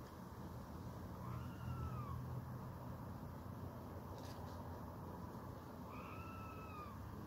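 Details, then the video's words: Red squirrel calling with a mewing cry to show a rival that further scuffling is not worth it; two faint, drawn-out tonal calls that rise then slide down, about four seconds apart, over a steady low rumble. "Orava huutaa"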